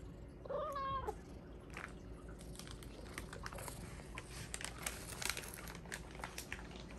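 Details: Begging for cod sticks from Japan, pet Bengal cat Hua gives a single rising-then-falling harmonic meow in a quiet room, followed by soft rustles and clicks.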